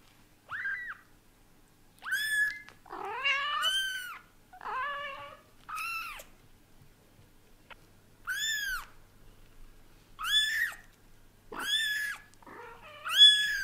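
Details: British Shorthair father cat indoors while adjusting to kittens; a run of short, varied meows and a few squeaky, wavering calls roughly every one to two seconds, some rising and falling, in a quiet room.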